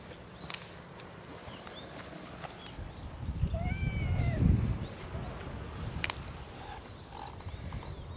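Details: A cat at a feral cat gathering on a cat island gives a single brief, rising-then-falling meow as part of a welcoming chorus, with low rumbling background noise and a few sharp clicks.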